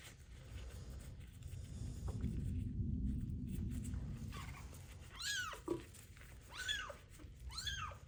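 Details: Several seconds of running water and handling noise, then the abandoned kitten with ringworm, being bathed for the first time, gives three sharp, arched meows close together.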